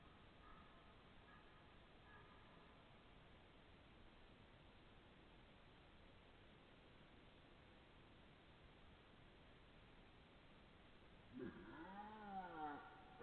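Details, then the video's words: Red deer belling on 12 September 2014 at 21:57, perhaps two animals; after a long stretch of steady background hiss, one brief arching, harmonic bellow sounds near the end, preceded by faint distant calls. "Belling Red Deer"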